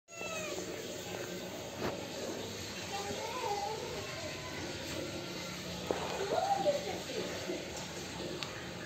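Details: Kittens meowing because they want milk: a few thin, rising-then-falling mews around the middle and near the end, under a steady background hum.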